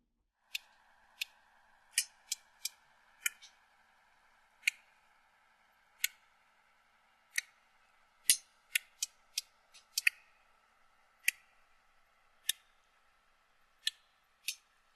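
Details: Sperm whale codas played back, soft in the recording though loud enough up close to deafen: sharp broadband clicks tick out at uneven intervals, about twenty in all, over a faint steady tone.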